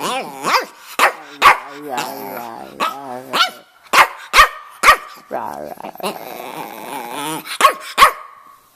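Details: In Miami, a male red rough-coat Brussels Griffon named Stanley, about 2½ years old, mixes drawn-out, warbling moans and groans with frequent abrupt barks, a chattering 'talking' sequence lasting several seconds indoors.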